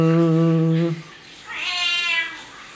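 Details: A domestic cat described as a talking cat: a low, steady, buzzy harmonic tone lasting almost a second, then after a short pause a higher, brighter meow that rises and falls.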